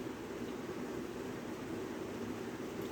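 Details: Continuous broadband rushing noise like wind or surf, with no animal sounds.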